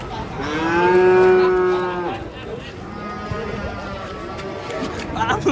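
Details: A raging, agitated cow lets out one loud, long moo with a strong harmonic tone that holds steady and then fades after about two seconds, followed by quieter lowing and faint background chatter.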